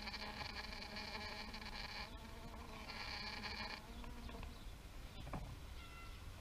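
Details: Loud, rich bee buzzing in two long bursts, the first lasting about two seconds and the second about one, each a dense droning hum. Quieter buzzing and a brief sweeping hum follow, with scattered clicks over an outdoor background.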